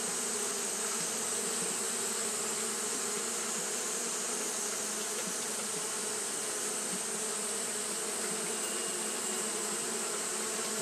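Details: Japanese honey bees fanning continuously on a hot day; a steady, dense hum with a low drone band and broad hiss above, unbroken throughout with no other clear sounds.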